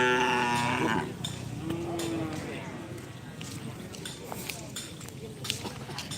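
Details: Racing cattle at a Karapan Sapi bull race in Asemanis, Pamekasan, Madura, Indonesia: a strong, harmonic moo for about a second, then a quieter sliding low call, with crowd chatter, clapping and clattering noise throughout.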